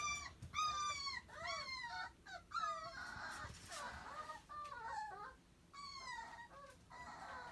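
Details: Playful, people-loving puppy seeking attention, giving high, wavering whimpers and falling whines in separate bursts with brief quieter gaps, some calls fluttering and broken.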